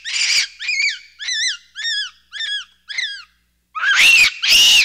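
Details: Capuchin monkey producing a harsh opening shriek, then five evenly spaced arching whistled squeals, followed by two loud, noisy screams.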